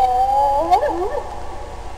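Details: Spotted hyena holding a clear steady tone that breaks into interwoven rising and falling glides, fading out against a constant low background hum.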